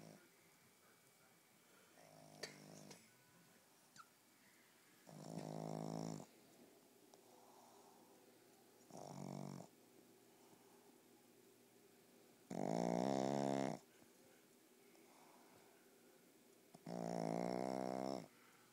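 A Boston Terrier snores in loud, rattling bursts a few seconds apart.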